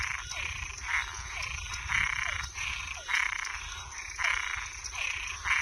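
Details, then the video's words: Toads and tree frogs calling at night: grating croaks come in irregular, overlapping bursts of about a second each, with a continuous shrill tone underneath. "Som de animais noturno Sapo e perereca"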